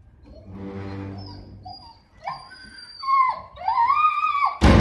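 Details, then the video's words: Pet dogs reacting as their owner comes back home: a low, buzzy harmonic whine at first, then high, drawn-out howling whines that rise and bend, louder toward the end, closing on a sudden burst of noise. "Dogs react to him coming back Owner"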